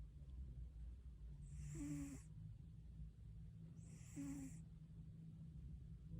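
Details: Domestic cat asleep and snoring: two drawn-out breaths about two and a half seconds apart, each a brief low whistle-like buzz with a soft hissing rush, against a steady low background drone.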